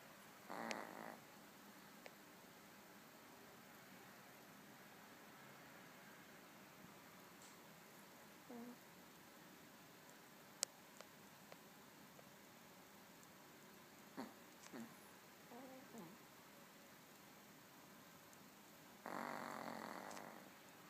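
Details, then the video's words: Small pet dog napping indoors, snoring like a train: two broad, raspy snore bursts, one near the start and one near the end, separated by a long stretch of quiet room noise with faint clicks. "Snoring dog"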